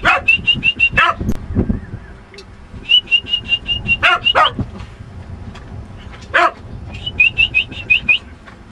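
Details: Lucky, a pet dog, gives three bursts of sharp barks, two or three in quick succession each time, spaced a few seconds apart. High chirping birdsong trills run between the barks, and low rumbling background noise continues throughout.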